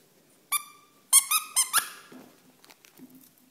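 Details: Two-month-old Miniature Pinscher puppy at play indoors gives high, squeaky yelps with bright overtones: a single yelp, then a quick burst of four, trailing into soft, faint whimpers.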